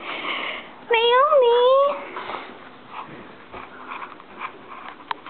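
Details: Pet dog Naomi, indoors, reacting with dislike to the noise of a Razorback, lets out a drawn-out whining howl lasting about a second that rises then dips, with a woman talking to her before and after.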